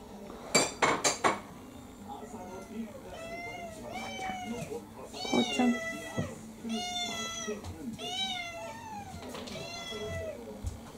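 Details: A pet cat, Kurumi, a mixed-breed orange tabby about four years old, in a Japanese home with six cats, meowing insistently to demand dinner: a string of rising-falling, harmonic-rich meows repeated every second or so, with dish clatter and a woman's voice.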